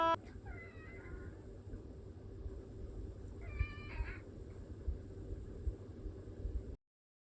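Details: Domestic cat at home, one of two living together, a Chartreux and an orange tabby, meowing mostly to demand food or to be held: two short harmonic meows about three seconds apart, the second louder and bending, over steady low hum.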